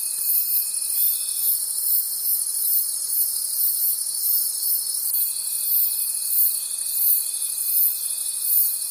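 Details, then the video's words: Many crickets calling at night in a forest, a dense continuous high trilling chorus with a soft pulsing rhythm about three times a second, plus a thin steady tone that drops out midway and returns. "Forest Sounds and Cricket Conversations at Night"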